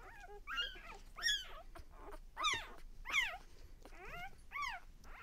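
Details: Newborn pups of Lexa's litter at one day old let out loud, arching whines, each swooping up then down, about six calls spaced roughly a second apart.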